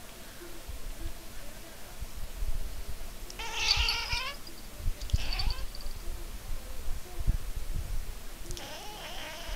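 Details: Cats, a Maine Coon tabby and a black cat named Chibi, give three short harmonic meows spaced a second or more apart. Low background rumble runs throughout.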